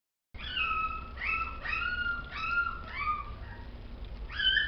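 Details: Chihuahua whining in a series of drawn-out, tonal cries that slide and waver in pitch, about five cries over a few seconds, over a steady low background hum.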